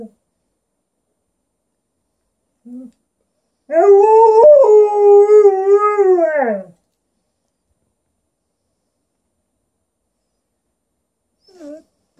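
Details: Alaskan Malamute talking with its owner: a single modulated, singsong howl of about three seconds with several wavering pitch bends, framed by faint brief whines before and after in an otherwise quiet room.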